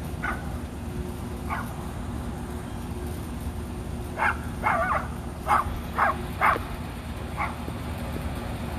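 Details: Rat Terrier siblings Bandit and Jewel playing in the back yard give a loose run of short yappy barks, sparse at first, then clustered quickly in the middle, over a constant background rumble.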